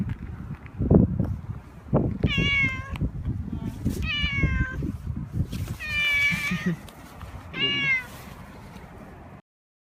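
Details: Male domestic cat in heat, rubbing against someone with great vigour: four drawn-out, wavering meows rich in harmonics, roughly every two seconds, over rustling and thumping from the rubbing.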